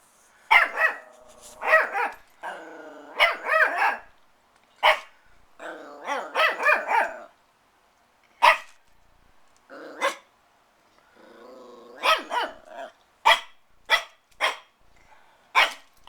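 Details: Christian, a protective puppy eager to play with the cats, gives clusters of quick yappy barks that run into rough growling, with short pauses between bursts and a steady faint hum behind.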